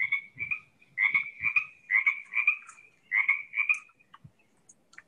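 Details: Male Pacific tree frog, the most common frog in the area, played back from a field recording: raspy two-part croaks repeated rapidly in bursts of about seven notes over three seconds, a short pause, then two more, with faint low rumbles.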